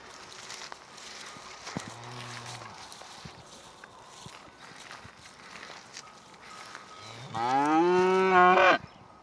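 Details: Angus cattle in a village: a soft, low, brief moo early on, then after a quiet stretch a loud, drawn-out moo lasting over a second that rises and holds with rich harmonics. Faint background noise throughout.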